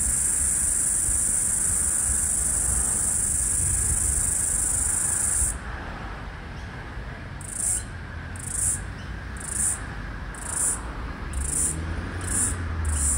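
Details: The last floury baker cicada (Aleeta curvicosta) of the 2022/2023 Australian summer, recorded 18 March 2023 by a busy street, gives a steady high buzz, then short bursts about once a second, seemingly syncing with another cicada.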